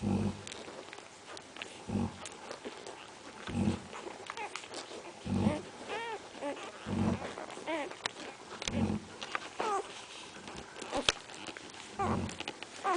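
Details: Central Asian Shepherd Dog puppies giving short arched whimpering whines, several in a row near the middle, over repeated low dull thumps, background rustling and a human voice.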